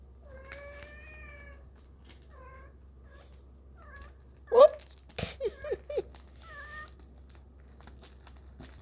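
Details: Kittens about four and a half weeks old exploring their surroundings indoors; a thin, drawn-out meow with stacked harmonics, then several shorter faint mews, followed by louder knocking bursts and laughter.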